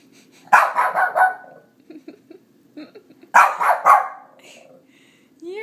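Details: A female Shih Tzu, three years old and kept as a pet, barks at her reflection in two rapid clusters of three or four rough barks. Soft muffled sounds fall between them and a brief whine comes at the end.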